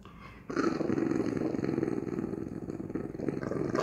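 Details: A 5-month-old English Bulldog puppy gives a rough, rumbling growl mixed with snorting breaths while playing wildly.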